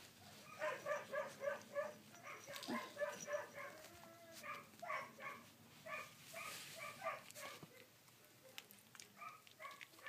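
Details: Collie puppies, 16 days old, filmed 3 June 2013: rapid runs of short, high whimpering squeaks, several per second, come in bursts with brief pauses, overlapping one another, with soft rustling and clicks around them.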